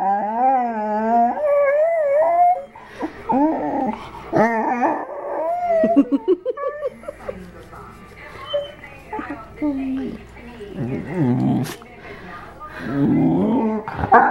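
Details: Dog that sings with other dogs and vocalizes with pleasure at belly rubs, heard in a small room; wavering howled notes sliding up and down, then choppy yips and moans mixed with a person's speech.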